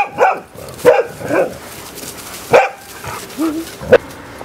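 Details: Dogs at play, Gunner with puppy Willow and a few other canine friends: five short, sharp barks come in irregular bursts over four and a half seconds, some doubled, with faint background noise between them.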